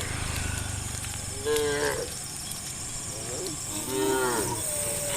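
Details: Morning herd of tame cows heading along the road to rice fields; two moderate moos a couple of seconds apart, each a short tonal bellow, with constant high insect buzzing behind.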